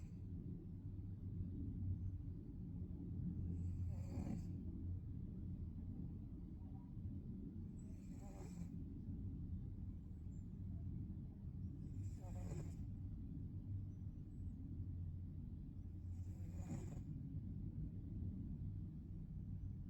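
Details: Rhythmic snoring of a sleeping Maine Coon: four raspy, breathy intakes spaced about four seconds apart over a constant low rumbling drone.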